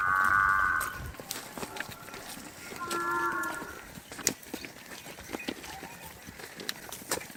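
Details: Water buffalo lowing in a kids' animal-sounds piece, a short bellowing moo at the start and a second lower moo around three seconds, with clicks and background noise between.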